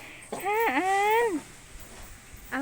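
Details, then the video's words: Elephant giving its trained 'thank you' sound: one high, squeaky, tonal squeal about a second long. It rises sharply, holds nearly level, then slides down, and a second squeak begins just at the end. Faint voices nearby. "elephant say thank you"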